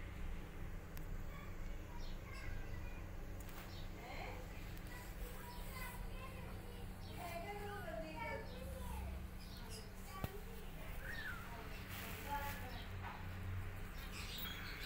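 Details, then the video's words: Several kittens with their mother cat, which is teaching them to walk, give loud, high, wavering mews, rising and falling and often overlapping in quick succession, over a steady low hum. "Mom Cat Teaching Her Kittens How To Walk And They're Meowing Loudly"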